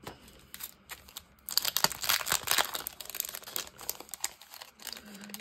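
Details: Paper and packaging crinkle and tear indoors, with no animal sound present. Brief crunching handling noises come in irregular bursts.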